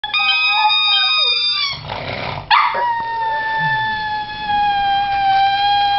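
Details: Pet pug howling in response to a squeaky toy: long sustained tonal howls with rich harmonics, a brief noisy break near the middle, then a steady slightly falling howl held to the end.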